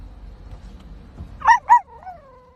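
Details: Puppies barking: two quick, high yips in close succession followed by a soft, falling whine, with low background rumble.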